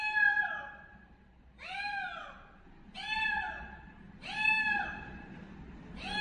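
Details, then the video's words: Kitten calling loudly, five drawn-out meows that swell and drop in pitch, separated by short pauses, with faint low background noise. "Kids Kitten Loudly Calling Meow meow"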